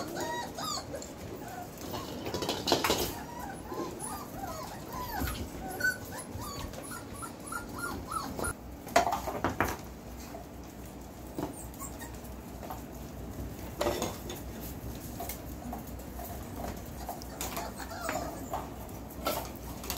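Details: Four-week-old Belgian Malinois puppies, born 26 September 2021, let out scattered soft whines and whimpers, some in short bursts, among rustling and occasional thumps and knocks.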